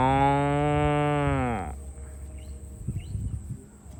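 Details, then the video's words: Farm cow being herded to the barn gives one long, steady, deep moo lasting about a second and a half, ending in a brief downward drop, followed by soft shuffling and quiet rural background. "Herding Farm Cows to the Barn - Funny Moo Sounds"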